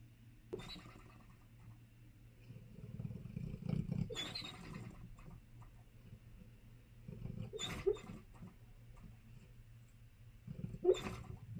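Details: A sleeping dog snoring: slow, rough, low rumbling breaths recurring roughly every three to four seconds, each cycle ending in a louder breathy snort, with quiet room background between breaths.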